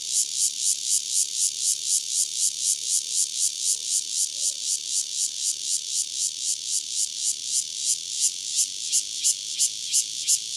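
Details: A single Cryptotympana takasagona cicada sings near Dona village, KaoHsiung County: a loud, high, buzzy pulsing song with strong, evenly spaced throbs, about three per second, that holds steady throughout.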